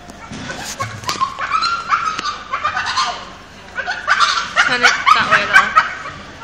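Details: A dog making an odd, amusing noise in public: repeated whiny, yelping cries with a nasal edge, coming in quick irregular bursts, with family members chatting nearby.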